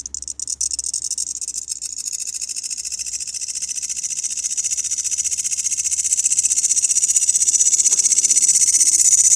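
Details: Loud grasshoppers with a high, rapidly pulsed rasp, starting softer after a few clicks and swelling steadily louder over nine seconds.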